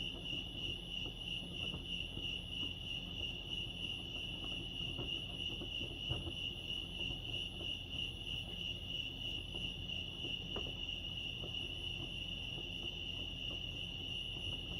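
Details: Crickets chirping at Lake Arrowhead, California: a steady, unbroken high trill holding one pitch throughout, with a fainter higher band above and a soft low rumble of background noise.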